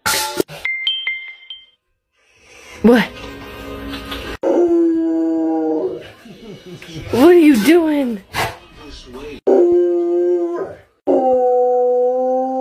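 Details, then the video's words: A pet American Bully dog howls while holding its food bowl in its mouth, giving several sustained, steady, somewhat muffled howls separated by pauses, while a person speaks and background music plays. "Dog is howling while holding his food bowl in his mouth!"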